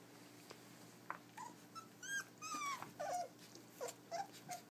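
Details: Puppies 23 days old eating dry food from their first bowl indoors give short high whiny squeaks and falling whimpers, several in quick succession, over a low steady hum.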